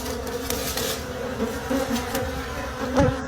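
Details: Wild bees at a forest hive during a late-season honey harvest, a steady low droning buzz throughout with brief tapping knocks and a man speaking nearby.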